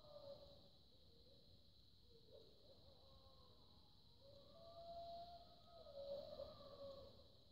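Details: Wild wolves howl in the distance at night under a full moon, in snowy Chequamegon-Nicolet National Forest, Wisconsin, in 2018, with long, drawn-out tones that slide up and down and overlap.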